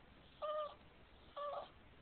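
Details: Boston Terrier named Cartman, a dog that dislikes being kissed, gives two short high whines about a second apart, each a steady tonal note, while a person asks if he is hungry.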